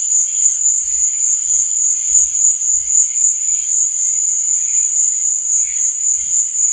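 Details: Nighttime cricket chirping forms a constant high buzzing trill, steady in pitch and volume. Under it, faint low soft thumps recur at irregular intervals of roughly half a second to a second.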